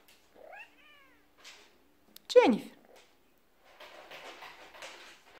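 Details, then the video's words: A kitten gives two meows: a short, thin, wavering cry, then a louder one that drops sharply in pitch. Soft murmuring human speech follows in a quiet room. "Cute kitten meows"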